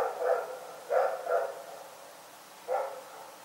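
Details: Night-time barking from Rex the dog, a few quick mid-pitched barks in a loose pair-and-single pattern over a faint steady background hiss.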